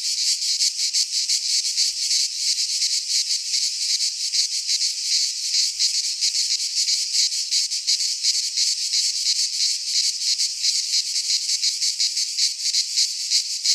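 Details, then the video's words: Many cicadas sing in a Greek pine forest at midsummer, making an unbroken, sizzling high buzz that pulses quickly about three times a second. "Cicadas singing in midsummer - Nature sounds from the Greek fauna - Sounds of cicadas"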